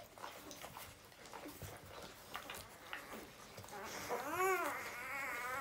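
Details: Newborn puppy letting out quiet squeaks that build into a loud, drawn-out whining squeal, rising then falling in an arched sweep, repeated in two waves, with soft rustling in a small room.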